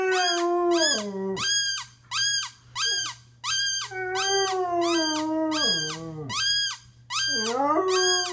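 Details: Penny, a pet Basset hound, almost breaks into a howl for the first time in 5.5 years: long, drawn-out wavering tones that slide downward at their ends. A rapid train of bright, high, regular pulses sounds throughout.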